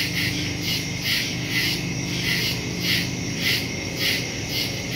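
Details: Crickets at night in woods, September 2, 2023, phone and stereo microphone: regular high chirp pulses nearly twice a second over a shrill steady drone, with a noticeable low rumble, possibly distant traffic-like noise.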